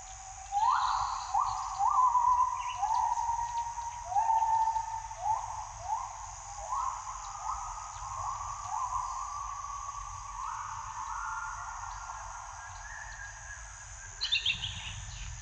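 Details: A morning gibbon chorus with a long run of rising, swooping hoots. Each note slides upward and repeats about every second before fading, with constant insect buzzing behind.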